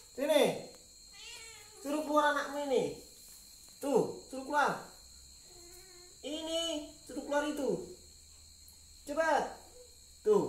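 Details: A mother cat, stirred by something hidden inside a helmet, meows insistently and repeatedly. Her calls are wavering, nasal and arched, sometimes doubled, and come every one to two seconds with short silences between.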